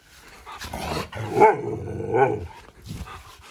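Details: Siberian Husky growling during play; the growls sound like an attack or a bite attempt but are its play sound. Two drawn-out, wavering, moaning growls rise and fall, with softer huffs between them, in a quiet room.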